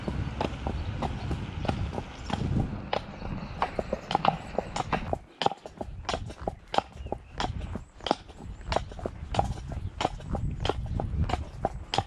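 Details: Rhythmic clip-clop from the Shire horse De Goot Damon, Ostsee Shires, heading to Falkendorf on 2 May after early rain. Hoofbeats run at about 91 per minute with a short lull near the middle, over low rumbling.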